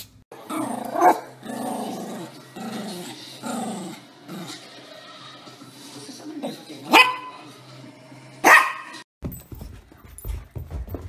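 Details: Small Yorkshire Terrier growling in rough, throaty stretches, then two sharp, loud barks about one and a half seconds apart, with some human voice mixed in and a background hum.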